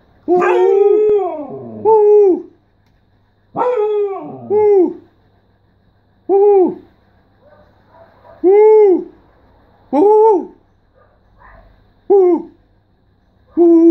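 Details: Siberian Husky talking: a run of howl-like woo calls, some long and wavering with falling tails, others short arched yelps, coming in irregular bursts every one to two seconds over a quiet indoor background.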